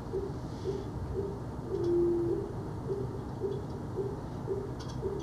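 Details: An infrasonic blue whale song recorded about 60 miles off Long Island, played back at 20 times speed, sounds like a low owl-like hoot, with the steady pulses of a fin whale about 40 miles away behind it.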